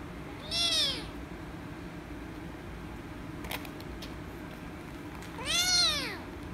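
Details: Rescue kitten, angry at being petted, gives two loud bright meows about five seconds apart, each rising then falling; a brief click sounds between them over steady low hum.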